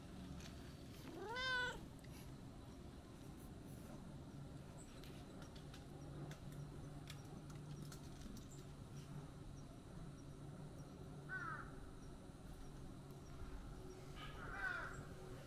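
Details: Brown-and-white tabby cat that had been napping in tree shade, noticing a familiar person and coming over to play; one clear arching meow early on, then two fainter short calls later over a low steady outdoor rumble.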